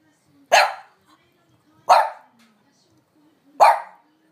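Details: French Bulldog barking to demand a walk because its owner is slow to go out; a dog normally quiet. Three sharp, short barks come about one and a half seconds apart in a quiet room.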